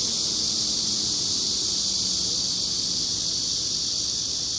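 A Korean giant cicada gives a loud, steady, high-pitched hissing drone that never lets up.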